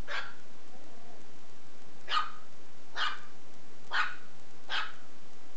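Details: Shih Tzu puppy playing with a belt, letting out five short, sharp yappy barks spaced roughly one second apart, each a bright burst, over a steady low background hum.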